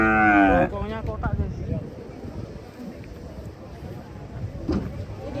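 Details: Cattle lowing: one loud, harmonic moo lasting under a second at the start, followed by murmuring voices and faint background noise.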